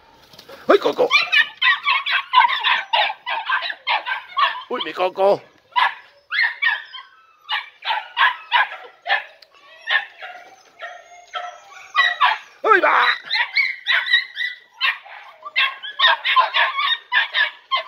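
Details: Podenco Andaluz puppies three and a half months old, from the last litter of Killo, on their first time in a training enclosure; rapid high yelping barks in dense bursts, with a short pause near five seconds and occasional human voices.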